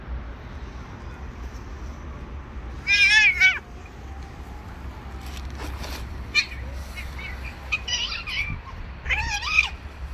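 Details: Female cat that does not want to stay with a male cat, giving a loud wavering yowl lasting about a second, then shorter strained meows spaced a second or two apart, ending in another harmonic-rich wail over low background rumble.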